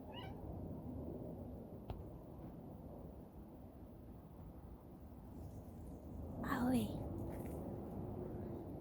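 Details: A cat gives a single short meow, arching up then down, near the end of a stretch of steady low outdoor rumble. A person calls to it around the sound.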